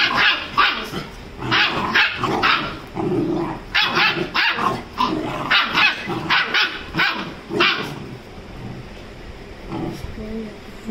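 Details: Rajapalayam puppy aged 35 days fighting with a Labrador: a run of sharp, repeated barks and yelps about every half second, interspersed with growling, fading to quieter shuffling toward the end.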